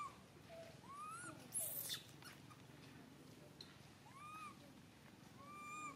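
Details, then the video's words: Baby monkey Santos, calling for mother Sarah, gives a few thin rising-and-falling whistled cries separated by pauses, with a short scuffing noise between them. "Pathetic baby monkey Santos cry calling Mom Sarah, where are you ? I'm here."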